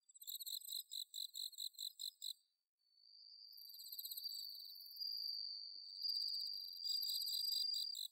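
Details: Bell crickets calling in autumn darkness over paddy fields at Inba-numa, Chiba, Japan, Zoom H6 recording: rhythmic high ringing pulses about four per second, then masked by a continuous shrill buzzing tone from another insect.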